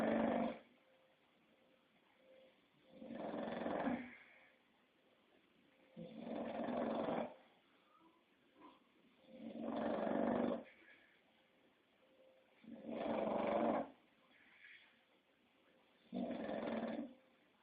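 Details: An English Bulldog snores in long raspy rattles, six of them spaced about three seconds apart, with faint snuffles and a thin whistling tone in the pauses.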